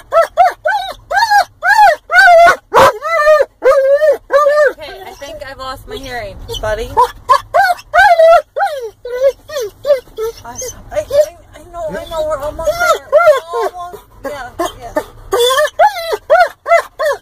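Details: Weimaraner mix dog, overly excited while approaching the cabin by car, pours out a nearly nonstop stream of high yips, whines and short yelping barks, many in quick succession, while its owner talks soothingly over low vehicle rumble.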